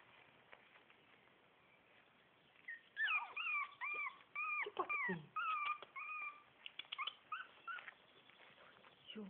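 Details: Litter A of Shih Tzu puppies at four weeks: quiet at first, then from about three seconds a busy outburst of shrill squeaks, bending whines and yelps, fading to scattered peeps.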